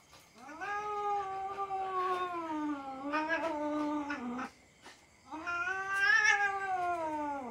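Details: Cat caterwauling during mock fighting with the household's young dog: a long, loud, wavering yowl lasting about four seconds, a short gap, then a second rising and falling yowl.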